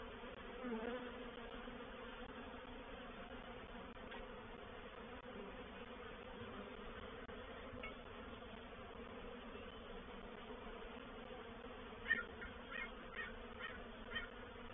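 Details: Honey bee reproductive swarm moving into a bait hive, or swarm trap, at Painted Peacock Manor on 04/07/21, with scout activity; a steady low droning hum of many bees runs throughout, with a few faint clicks and taps near the end.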